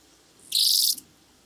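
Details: Blue band-winged grasshopper (Oedipoda caerulescens) at Mörnsheim, Germany, on 14 July 2023: one dry, hissing high-pitched burst of about half a second stands out over a quiet background.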